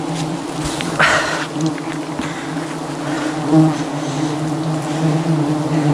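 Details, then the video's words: Aggressive bee swarm surrounding a honey hunter during a dangerous climb for wild honey above the jungle; a loud, constant buzzing hum of countless bees, broken by brief rustling bursts and knocks. "Dangerous Struggle Against an Aggressive Bee Swarm"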